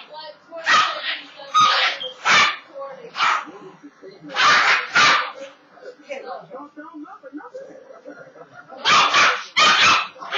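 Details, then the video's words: Rat terrier that dislikes the broom, barking loudly while being teased with it indoors; harsh, very loud barks come in clusters of one to three, with a short pause of softer huffs midway before a final double burst. "VERY LOUD BARKS!"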